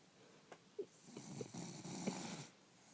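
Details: A bulldog gives a single soft, wheezy snore lasting about one and a half seconds, a breathy rasp preceded by a few small snuffles and clicks in a quiet indoor room.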